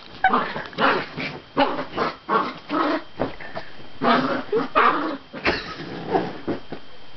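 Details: Dachshund, a pet dog, barking in loud, harmonic, yappy bursts, several in quick succession with brief pauses between groups, about a dozen barks overall, close to the microphone.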